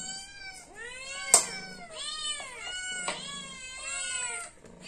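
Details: Hungry pet cat crying for food in an almost unbroken chain of loud, harmonic meows, each swelling up and sliding down in pitch, with a couple of sharp clicks between calls.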